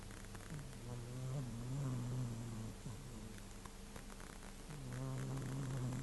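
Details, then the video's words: Sleeping pet cat snoring: a low, rasping, droning rumble drawn out in long breaths, with a pause near the middle before the next snore starts, in a quiet indoor setting. "cat snore 猫のいびき"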